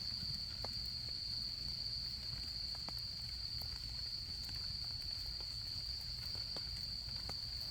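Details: A campfire crackles softly while autumn insects keep up a constant, piercing high trill, steady in pitch and volume, with occasional sharp snaps from the burning wood.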